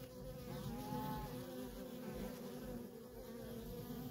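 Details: Busy feral honey bee colony with worker bees in nonstop traffic: a dense, low droning buzz overlaid by a brief higher whine of one bee flying past.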